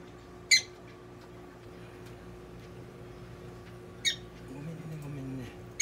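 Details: Pet prairie dog Donguri during a veterinary exam and treatment in Nagoya, giving three sharp, high, clipped squeaks spaced seconds apart over a quiet indoor hum.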